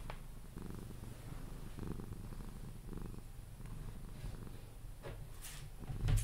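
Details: Sphynx cat Pepe purring while cuddled toward sleep; soft pulsing rumble in steady breaths, a few light clicks and a rustle at the end.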